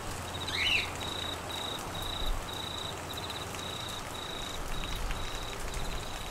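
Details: Queensland crickets during monsoon flooding: a faint, even high trill in short repeated bursts, with a brief rising chirp near the start and steady rain throughout.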